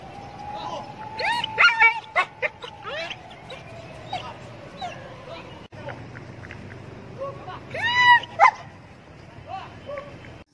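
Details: Kohati Gultair dog offered for sale in Pakistan gives scattered high, arching yips and whines in short bursts, with a steady tone and people talking throughout.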